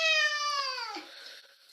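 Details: Domestic cat giving a long, loud meow at its owner, a clear tone that slowly falls in pitch and fades away over almost two seconds.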